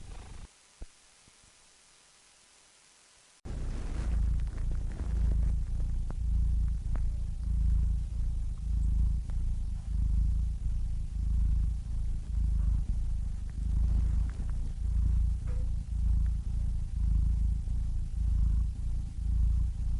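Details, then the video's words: A cat purring after a few seconds of near silence: a steady low rumble that throbs rapidly, continuing evenly to the end with faint breath noise. "Cats Purring Soothing Sound Effects (Relaxing Cat Sounds)"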